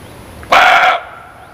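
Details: Muntjac giving one loud, harsh bark lasting about half a second, with strong layered tones, then quiet with faint background hiss.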